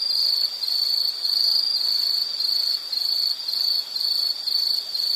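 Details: High, shimmering insect trill from a relaxing nature recording, continuous and even, with soft pulses roughly twice a second and a thin upper overtone band.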